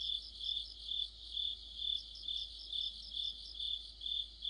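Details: Streetlight-side autumn insect chorus dominated by crickets: piercing high trills pulse rhythmically about twice a second, many voices blending into one steady shimmering drone.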